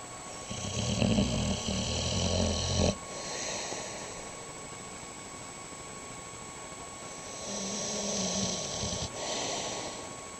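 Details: Snoring dog drawing two long, rasping, low breaths about six seconds apart, with a faint hiss of breathing in between.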